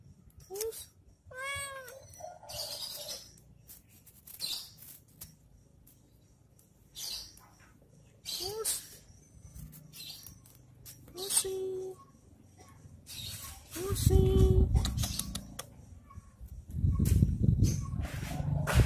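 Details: Cat at play with a stick: a few quick wavering meows early on and another midway, then loud low rumbling handling noise taking over toward the end.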